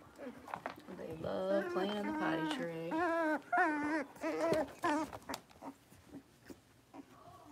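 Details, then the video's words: Five young blenheim Cavalier King Charles Spaniel puppies, born at New Year's, playing together in an indoor puppy pen; high, wavering whines and yelps with rich overtones come in overlapping bursts for several seconds, then fade to a few short, softer squeaks. "Cavalier Puppies Livestream: Playing, Barking, and Learning"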